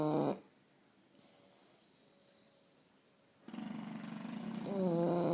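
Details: A pair of English Bulldogs snoring indoors: a short, buzzy snort, three seconds of near silence, then a rising, rough breath that turns into a droning, tonal snore.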